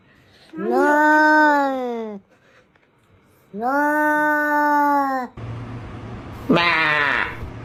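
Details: Domestic cat giving a sound like another animal's: two long, steady, bleat-like meows of about one and a half seconds each, separated by a pause, then a harsher, shorter rising-and-falling cry over background noise.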